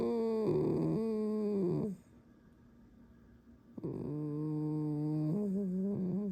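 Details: Pet fox indoors giving drawn-out, creaky, squeaky whining tones in two long phrases separated by a short pause, with slight wavering pitch steps; a person talks afterwards.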